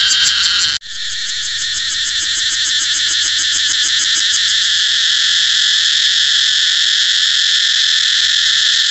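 A cicada sings a loud, steady, high-pitched buzz that holds without a break.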